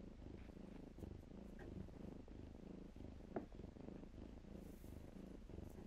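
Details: A low, rolling purr from kittens playing in blankets runs throughout, broken once midway by a brief, sharper rustle or tiny squeak.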